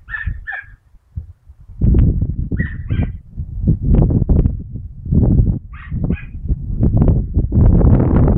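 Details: Mota, a Dachshund (teckel), hunting rabbits on 22 August 2012: two quick high yaps, a pause, then paired barks again, heard over loud crashing, rustling noise of movement through cover.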